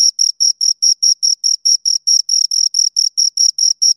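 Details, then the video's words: Pair of crickets stridulating: short high, metallic chirps with a faint higher overtone, evenly spaced about four per second, each chirp slightly drawn out, against a completely silent background. "Two Crickets Chirp Sounds"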